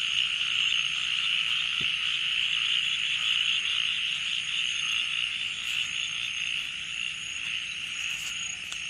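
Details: Crickets shrilling deep in the night at Srimangal, Bangladesh: a dense continuous high trill with a thin steady whine above, loud at first and easing slightly toward the end, with one soft click.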